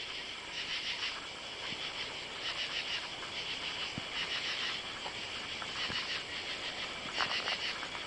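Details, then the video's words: Katydids calling at night on July 31 under oak trees in a side yard, recorded while walking. Raspy, pulsing bursts of buzzing come in roughly one-second groups over a steady insect hum, with faint scattered ticks. "Katy-dids (insect)"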